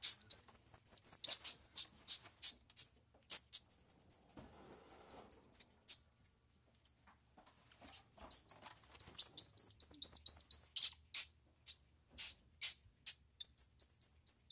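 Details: Continuous high-pitched twittering from a squirrel monkey, short upswept peeps repeated steadily in quick clusters, with a brief quieter gap in the middle before the chirping resumes.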